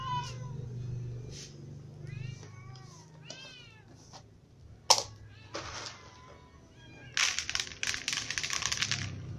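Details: Cats eating together, including little cats and an impatient new white cat; a string of arched meows early on, then a sharp knock, and a stretch of clattering, scraping noise toward the end over a low hum.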